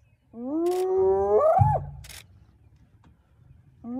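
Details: During an early-morning mobbing of the young male lion Nkuhuma by a hyena clan in South Africa's northern Sabi Sands, one spotted hyena gives a long, level harmonic call that swoops upward and breaks off, followed by a low grunt and clicks.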